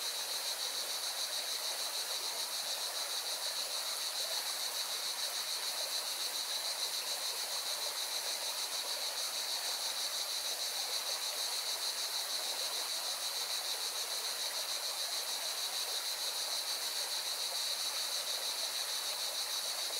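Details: Singing cicadas keep up an unbroken, high-pitched buzzing chorus over the rushing of a mountain river in Valencia, Spain.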